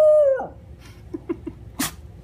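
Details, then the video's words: Miniature Schnauzer howling in protest at being told what to do: a steady tonal howl that drops off, then short yips, with a person saying "no". "Howling Schnauzer"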